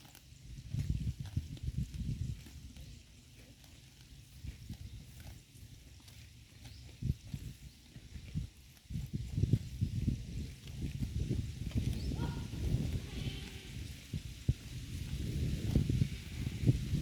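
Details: Cows in a herd munching grass at pasture: dense, low, rhythmic chewing and grinding, roughly three bites a second, swelling louder toward the end, with faint outdoor ambience.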